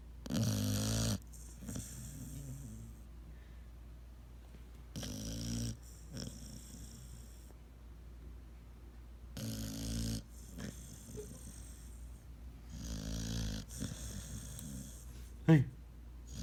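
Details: Seven-month-old pit bull asleep, snoring loudly indoors: deep, rumbling snores in long bursts about every four seconds, with quieter breathing between, and a sharp snort near the end.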